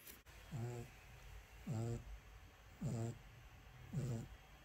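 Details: Male French Bulldog puppy in his cage, repeatedly trying to unlatch the door and escape, gives four short, low, harmonic moaning whines, each rising then falling, spaced about a second apart in a quiet room.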